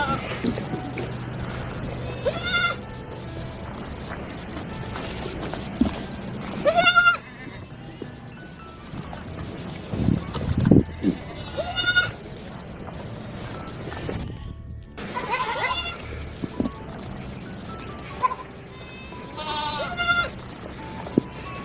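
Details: Teddy goats on a farm, kept as Eid gift animals, giving repeated wavering nasal bleats every few seconds over a steady background hum, with some voices and music-like sound mixed in.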